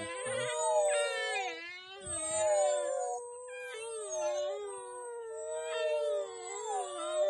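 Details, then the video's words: An African wild dog in a pack gives an unusual, eerie, drawn-out, wavering hoo call, normally used to reconnect with the pack after a hunt or separation. "Unusual Wild Dog Hoo call- Londolozi TV"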